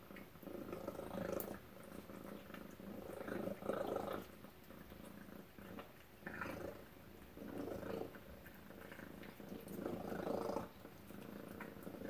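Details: Tacy the cat purrs over breakfast indoors, a deep vibrating rumble arriving in swelling waves with brief dips between them, soft background clicks and quiet room noise.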